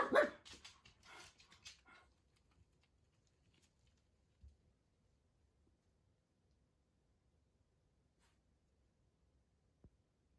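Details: Four Jack Russell Terriers indoors, waiting for their owner to come home: a quick burst of excited, sharp barks and yips packed into the first two seconds, then near silence with a faint thump and a click.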